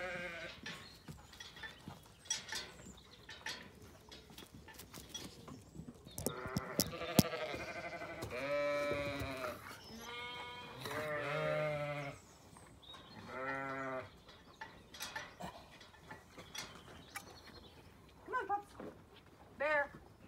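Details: Hungry Zwartbles sheep munching on a farm in County Kilkenny, Ireland: rapid dry crunching clicks throughout, broken mid-clip by several loud wavering bleats in quick succession, with a few short higher bleats near the end.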